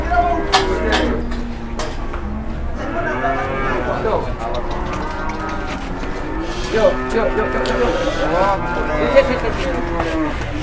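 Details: Big Indonesian cattle fresh out of the pen for the first time, skittish and hard to handle: a few long, low steady lowing tones buried in constant people talking and shouting, with knocks and clatter.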